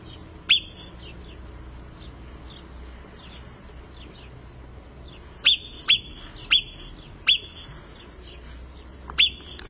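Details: An Alpine marmot in the Italian Alps gives sharp, shrill whistles, one alone and then a quick series of five.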